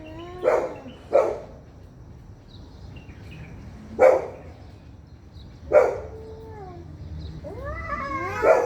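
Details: Fighting cats trade loud, abrupt spits roughly every one to two seconds, with short falling yowls between them. A climbing, quavering scream ends in a final burst.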